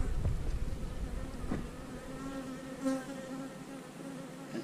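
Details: Buzzing honey bees at hives being split, with queen cells present in the splits. A continuous low, even drone with faint overtones sits over a rumbling handling noise early on, plus a couple of soft taps.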